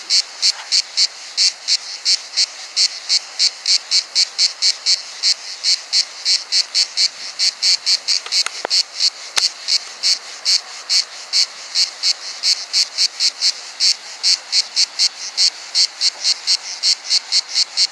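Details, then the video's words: A single cricket heard up close, hidden from view, producing wing stridulation as a dense train of rapid high-pitched pulses that continue without pause, with a brief click partway through. "The Cricket's Stridulation"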